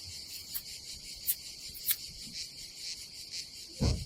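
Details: On a summer day at a campsite above the Adriatic Sea in Croatia, a dense cicada chorus keeps up a continuous high hissing drone, with brief sharp clicks and a dull low thud near the end.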